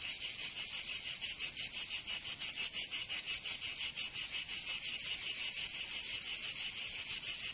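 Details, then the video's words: Summer cicada song from Provence in the south of France. A steady, high, sizzling buzz pulses about three times a second in a regular rhythm throughout, with no other sounds. "Canto Cigarra 🦗 [ Escuchar les cigarras en verano 10 H]"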